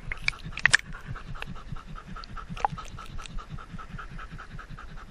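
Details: Indy, a Standard Poodle, pants steadily at a lake on a very hot day over 100 degrees, recorded on a GoPro he wears; rapid rhythmic breaths about four per second, with a few sharp splashy knocks near the start.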